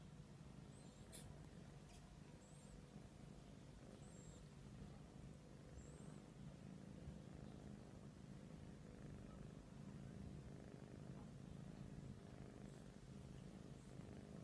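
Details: Persian cats cuddling, steady low droning purr sustained throughout with rhythmic breath pulses, a few faint high chirps and clicks early on.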